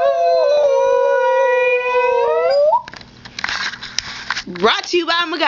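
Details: A male Husky mix gives a long, level, harmonic-rich howl lasting nearly three seconds and ending in an upward flick, followed by rustling noise and a brief, rough vocal sound with a wavering rise.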